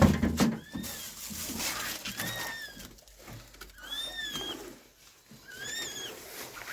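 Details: Abandoned kitten, rescued after two days freezing in snow at -11°C, gives thin high-pitched mews that rise and fall, four spaced calls over about six seconds against a rustling, noisy indoor background.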